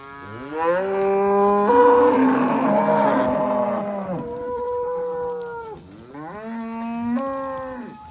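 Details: Several Simbra cattle, part of 70 cows kept with 70 calves, moo loudly and overlapping: a long rising then level bellow, a rougher blended call, then another rising moo near the end.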